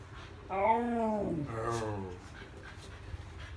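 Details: Siberian husky whining while playing: a drawn-out, wavering whine that rises slightly and then slides down, followed by a second lower, falling whine, over quiet background noise.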